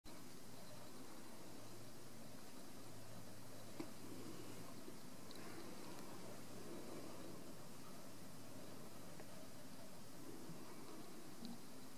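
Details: A steady indoor hiss with a low electrical hum continues throughout, with only a faint tick here and there.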